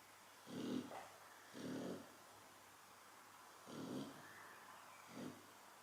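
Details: Chow Chow dog snoring while asleep: four rough, low rasping breaths at uneven gaps, each a short buzzy rumble with a faint higher hiss, separated by quiet pauses.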